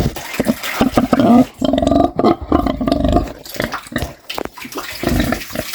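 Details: A pig snores in low, gravelly bursts. Irregular snorts are broken by a longer drawn-out rumbling grunt near the middle, followed by scattered short puffs.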